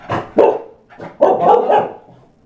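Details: Chow Chow mother and daughter during a playful training session; one gives a few short, gruff barks on command.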